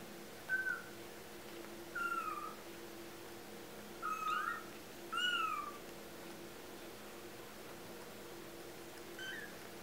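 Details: Four two-week-old kittens indoors giving short, high, thin mews, four clear cries spaced about every two seconds, each sliding downward, with a faint fifth near the end over a low steady hum.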